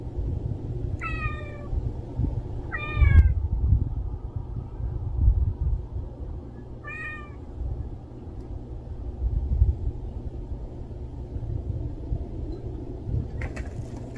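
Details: Street cat meowing three times in the first seven seconds, short falling calls with bright harmonics, then quiet apart from a constant low hum of distant traffic or wind.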